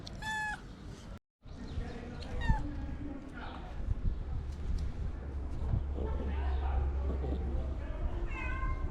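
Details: Sweet ginger cat with a long mustache, wanting love and food, gives several falling, harmonic meows: two close together near the start, another near the end. Low rumbling background noise and some human voices sit beneath.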